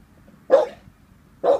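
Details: Staffordshire Bull Terrier, 18 months old, unsure of a balloon; two short, sharp barks about one second apart, mid-pitched and clean against a quiet room.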